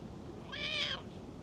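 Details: Talkative stray cat meowing while being stroked, next to a black-and-white cat resting in tree shade; one clear half-second meow that rises and then falls, over a soft background hiss.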